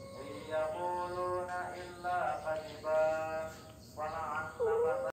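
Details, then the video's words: Orange cat being chatted with by its owner, answering in a string of drawn-out, tonal meows, several rising slightly at the end, spaced about a second apart, with faint background hum. "ajak bicara kucing oren"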